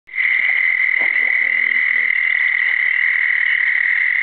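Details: In South Carolina, a southern toad (Bufo terrestris) gives a long, steady, high-pitched musical trill that holds one even pitch throughout.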